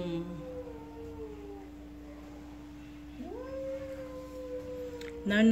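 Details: A jealous pet cat gives two long, wailing yowls. The first slides downward and the second rises sharply, then holds before trailing off. A constant low hum sits beneath, and a brief clatter comes at the end.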